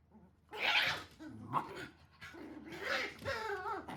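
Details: Standard Shiba Inu mother scolding her puppy, which now responds as if bothered; a whiny, harmonic vocal rises and falls in several short bursts, with a brief sharp note in the middle and a final wavering moan.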